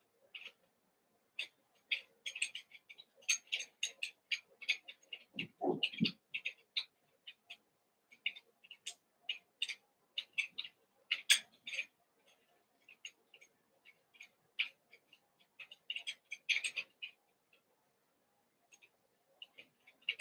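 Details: Eight Cavalier King Charles Spaniel puppies, Daisy's litter of six merged one evening with Robin's two, playing together indoors; dense bursts of high, thin squeaks and yips overlap steadily, with one lower, louder yelp near the middle.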